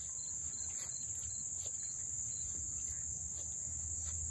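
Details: Close-up cricket chorus in Dobbs Ferry, New York, August 1, 2014, an unbroken shrill high trill layered over rhythmic, evenly spaced lower chirps, with a soft low rumble underneath.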